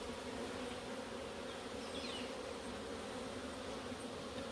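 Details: Africanized honey bees at a hive during routine inspection in Puerto Rico; a steady, dense droning hum with low, even tones held throughout and no breaks.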